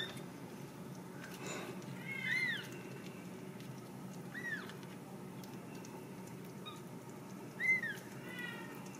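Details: Three thin, arched mews from Ragdoll kittens bred in a central Kansas home, spaced a few seconds apart over steady low indoor hum, the last one slightly louder.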